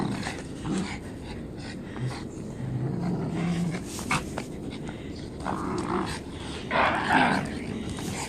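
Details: An angry Japanese Spitz growling: low, rough rumbles in short uneven bursts, broken by louder, harsher snarling noises, over steady background noise.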